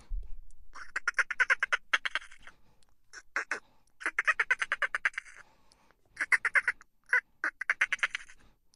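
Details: Laughter-like chitter of a dolphin: repeated fast pulsed bursts, some long and some very short, with a brief low thump at the start and quiet gaps between.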